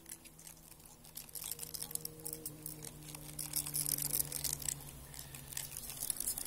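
Bark beetles feeding inside wood give a fast, uneven crackle of tiny dry clicks, like fine grit being crushed. A faint low hum runs steadily underneath.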